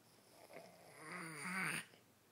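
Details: Sleeping pet kitten named Jonathan giving one long snore indoors, a rasping breath that swells for about a second and ends in a brief tonal, whistling rise before cutting off.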